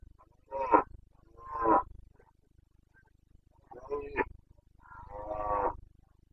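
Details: Carpathian red deer stag roaring in the rut, breeding season, Bucovina mountains, Romania, 29 September 2022. Four harsh, harmonic bellows come in two pairs, each about half a second to a second long, separated by a two-second pause, over quiet low rumble.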